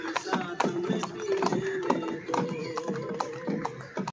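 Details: Hooves of a white horse drawing the tourist Shahi Buggy at Safari Park in Lahore, Pakistan, ring out as crisp, evenly paced clip-clops, with people talking and a sustained humming tone behind them.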